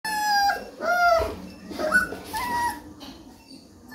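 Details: Three-week-old Rottweiler puppy whining: several high, tonal whimpers, each a short sliding cry, some rising then falling, spaced about half a second to a second apart, the last ones softer.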